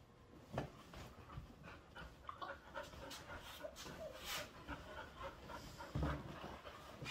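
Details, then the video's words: Bonny, a young Bull Terrier mix, and Lucy, an older Airedale Terrier, play together indoors in a living room; steady, noisy dog panting with scattered thuds and rustling from their rough play. "Bonny and Lucy playing in living room"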